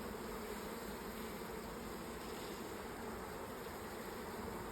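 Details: Strong, continuous hum of a large late swarm of honey bees filling an old hive with brood, recorded during an inspection; even, dense buzzing with no pauses.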